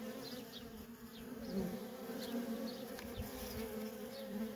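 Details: Feral colony of honey bees with constant worker traffic, heard as a thick steady drone, slight wavering pitch in the lower band, brief fly-by buzzes and some low rumbling thumps in the background.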